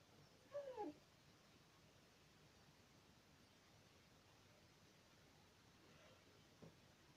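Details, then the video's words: A pet dog making a single short falling whine-like vocal near the start, then a faint brief sound later, in a quiet indoor room with soft background hiss. "Dog talking again"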